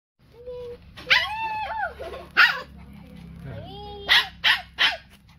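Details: Two pet dogs at feeding time give high, wavering whines that rise and fall, then sharp yelping bursts in quick succession, with low background hum and a voice speaking Vietnamese nearby.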